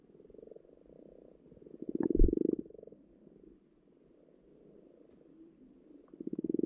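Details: Pond frogs recorded underwater during spawning give low, rattling, pulsed croaks, louder bursts near the second and sixth seconds, with a dull thump mid-clip and a soft purring chorus between.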